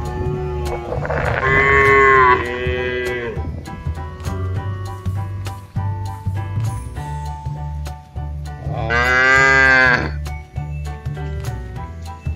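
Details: Two long moos from a mother cow on a modern cattle farm, each wavering and lasting over a second, about seven seconds apart, with pulsing background music throughout.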